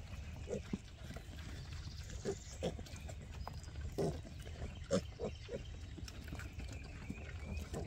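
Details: Free-range Hereford piglets on a farm, described as talking to their keeper; short soft grunts and snorts come at irregular intervals, a few louder squeaky notes near the middle, over a low rumbling background.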